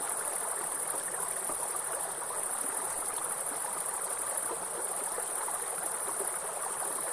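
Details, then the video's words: Grasshoppers in a forest give a steady, very high, unbroken shrill trill over the constant rushing hiss of a waterfall and water stream. "Real forest and grasshopper sound with soothing waterfall sound"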